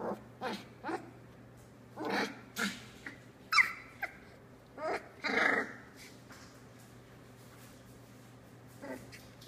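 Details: Squeals and short whining yelps from Tilly's Australian Labradoodle litter at three weeks old, with eyes beginning to open. Bursts come every second or so, some rising then falling, over a faint low hum.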